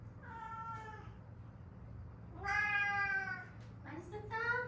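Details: Stray cat pair from Haeundae, mother and daughter, rescued after seven years on the street with bones healed unset; three clear harmonic meows, the middle one long and loud, the last sliding upward, over a low steady hum.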